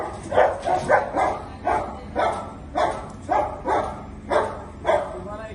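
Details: Angry German Shepherd in India barking in a fast series, about ten sharp, harmonic barks in under six seconds, fairly loud and close, with slightly uneven spacing.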